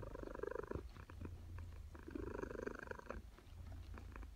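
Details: Female cat purring through an afternoon nap in a suburban home; a continuous low purr with breaths rising and falling roughly every second and a half, heard close and clear.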